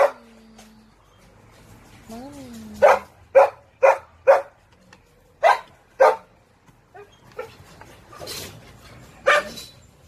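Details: A dog gives a whine that rises and falls, then a run of four sharp barks followed by scattered single barks and softer noises between them.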